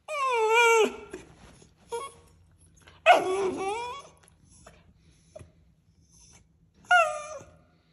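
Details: Westie puppy, refused a treat, whimpering inside a small room: a long high whine that drops away, brief yips, a sharp rising-then-falling cry midway, and one last short whine.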